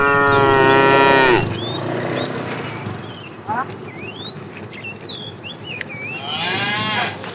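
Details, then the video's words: Tame cows roam a road looking for food; a long harmonic moo fades downward, then bright chirping birds fill the gap before a second rising moo near the end. "Funny cow sounds"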